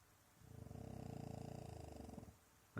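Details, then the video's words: French Bulldog pretending to sleep so as not to go outside, giving one low, buzzing, finely pulsed snore lasting under two seconds, followed by a brief human voice at the end. "Snoring Frenchie - French Bulldog pretending to sleep"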